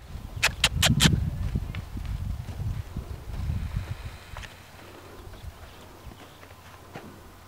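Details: Large Welsh Pony gelding, born 2003, ridden at a trot by a youth rider on him for the first time: dull, thudding hoofbeats, loudest over the first four seconds at roughly 146 per minute, then fading into quiet outdoor background.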